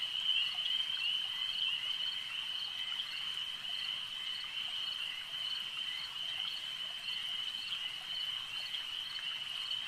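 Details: Lakeside frog chorus, an unbroken shrill pulsing drone held at one pitch throughout, many callers overlapping evenly with no other clear sounds.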